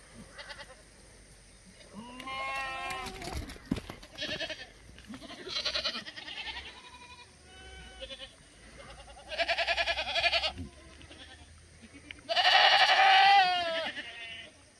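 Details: Free-range black goats in a farm exercise yard on the Mucheoksan foothills, Gimhae, South Korea, on a clear Wednesday morning, 12 August 2020; several goats give wavering, quavering bleats, some short and some drawn out, the loudest near the end.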